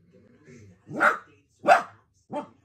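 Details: Miniature dachshund at play: a soft low grumble, then two strong barks and a shorter third bark, each with a rising-then-falling arch.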